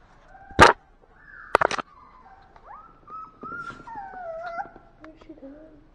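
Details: Sleepy puppy giving thin, drawn-out whimpers that slide up and down, after two sharp clicking knocks, with a person speaking softly nearby.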